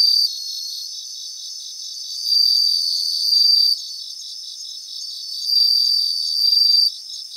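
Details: Bell crickets singing in a grassland in Japan: bright high ringing trills with a steady pulsed shimmer underneath, and louder ringing bursts lasting over a second that swell and fade every few seconds. No other sounds.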